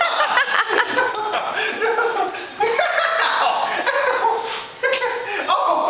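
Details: Basenji attacking its owner in play, giving yelping, whining yips and growly howls in quick bursts, mixed with a man's laughing cries throughout.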